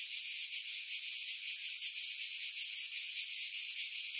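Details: Cicadas in pine trees on Skiros Island, Greece, July 2018, about 50 m above the sea: an unbroken high-pitched sizzling buzz that swells and fades in quick, even pulses.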